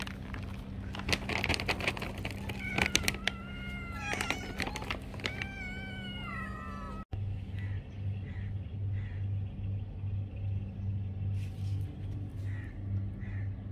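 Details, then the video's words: Domestic cat meowing for food: a run of drawn-out, harmonic meows, several sliding down in pitch, in the first half, then softer short mews repeated at intervals over a steady low hum. "Cat Meowing for Food...(meow meow)"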